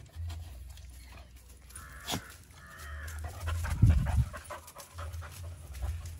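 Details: A Rottweiler peeps: a thin, high whine is drawn out around two seconds in, followed by a shorter second peep, over steady low snuffling breaths and a louder rustling burst near four seconds.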